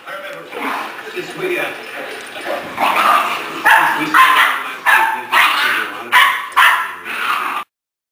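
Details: Young dog Guiness sounding off at his older brother, trying to show who's boss; soft whines and talk at first, then a series of sharp barks about every half second before the sound cuts off.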